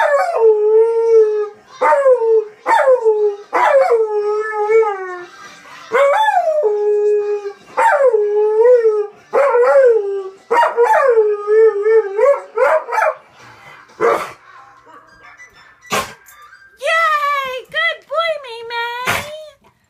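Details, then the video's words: Pet dog singing along to SpongeBob on television: a series of short, yodelling howls repeated roughly once a second, each bending down then level, with brief gaps, sharp clicks and a higher wavering howl near the end. "Dog Singing to Spongebob"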